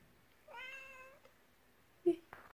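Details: A Savannah cat on its birthday gives one clear, drawn-out meow lasting about half a second with a steady tone, followed by a short sharp chirp and a faint click in a quiet room.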